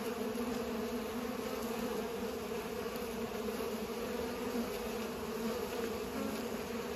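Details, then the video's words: Bees pollinating produce a thick, continuous buzzing hum that stays level and unbroken from start to finish. "Bees are pollinating"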